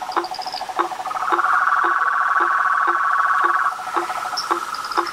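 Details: Frog and toad chorus with treefrogs: short knocking notes repeated about every half second beneath a rapid pulsed trill that swells in the middle, plus occasional higher squeaky notes.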